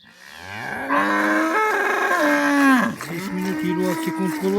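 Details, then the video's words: Cow in a village lowing loudly: a short low grunt swells into a long, strong moo that bends downward near its close, then breaks into a wavering, stepped lower moan. "Ауылдағы сиыр осындай"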